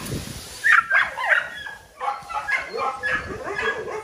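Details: Small dogs indoors giving high, wavering whines and yelps that bend up and down in pitch, several short cries overlapping in quick succession over a faint steady hum.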